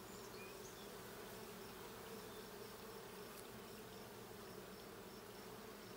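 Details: Honey bees at a hive during a hive check, a steady low droning hum throughout with faint high whistled bird notes in the background.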